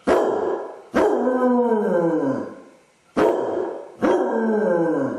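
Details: A Basset Hound left alone at home with separation anxiety, filmed by a camera. It howls and whines for an hour. Four long, mournful howls, each starting sharply and sliding downward in pitch, with brief gaps between them.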